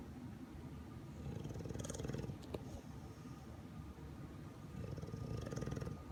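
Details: An English Bulldog sleeping in an awkward position, noted to have a severe dry nose, snoring in low rumbling breaths that swell and fade, loudest around two and five to six seconds, with faint high clicks.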